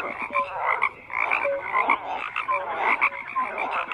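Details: Overlapping frogs croaking, with short buzzy pulses and brief clear tonal notes repeating in quick succession from several callers.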